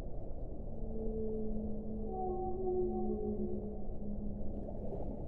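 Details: Whale song: a long, steady, low moaning tone with fainter higher harmonic tones layered above it, sliding slightly over several seconds, set against a constant low underwater rumble.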